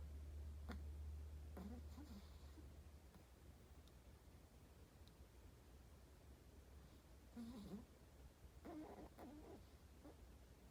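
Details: Sleeping Chihuahua snoring indoors: soft, breathy low snores in uneven bursts a few seconds apart, clustered near the start, middle and end, over a steady low background hum.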